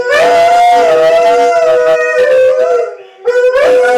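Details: West Siberian Laika with Malamutes in a group howl: sustained, slightly wavering notes with layered harmonics, briefly dipping before a fresh rising howl.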